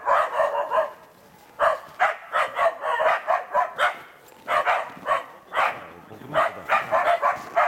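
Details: Karelian Bear Dogs aged two years and eight months bay at a penned wild boar during preparation for working trials; rapid clustered barking in repeated volleys, loud and insistent, separated by brief gaps.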